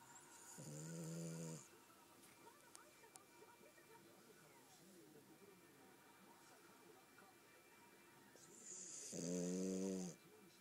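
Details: Sleeping French Bulldog named Gomashio snoring: two loud, rough, harmonic snores about eight seconds apart, each lasting roughly a second, with quiet breathing noise between them indoors.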